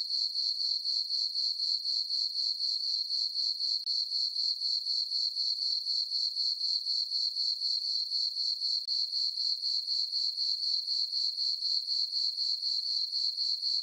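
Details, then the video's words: Crickets chirping on a peaceful summer night in a farm meadow under a full moon: a steady high-pitched trill pulsing about four times per second, even and unbroken throughout, with no other sounds. "Cricket chirping sounds for sleeping"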